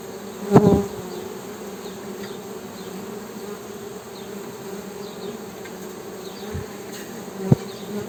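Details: Honey bee humming: a steady low drone with a deeper tone and a higher overtone held throughout, broken by two sharp knocks near the start and end, with faint high chirps in the background.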